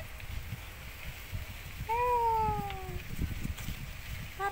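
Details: One-eyed male domestic cat lets out a long, slowly falling meow of about a second, followed by the start of another short meow, with low rumbling background noise and a man calling nearby.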